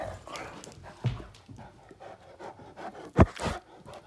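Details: Play-fighting Great Danes, the males Finn and Magic, with Finn pushing to dominate; quick panting breaths punctuated by two abrupt loud huffs or snaps, separated by about two seconds, amid mouthing and scuffle noise.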